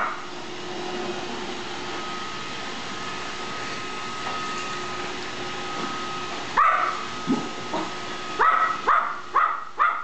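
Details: Gizmo, the smallest dog of the household, confronting a moving Roomba; the vacuum's droning whir fills the first six seconds, then a rapid run of high yips and barks breaks out.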